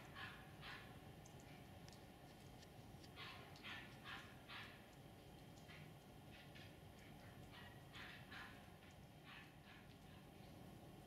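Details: Winter 2019 at the RKF kennel "S Volchyey Zemli", Tibetan Mastiffs bark from a distance, soft hoarse woofs repeated in loose clusters throughout, over a constant low outdoor rumble.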